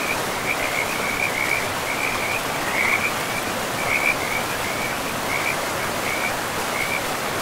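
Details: A forest-river frog chorus: clusters of short, high chirps come in little bursts with brief gaps, set against a loud, unbroken wash of river water in a pristine forest.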